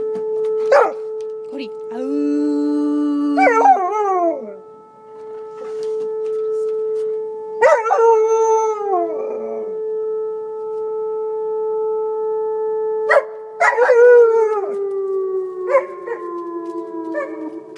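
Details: Alaskan Malamute howling in response to a tornado siren, long wavering howls and yips over a steady loud droning siren tone that slowly falls in pitch toward the end.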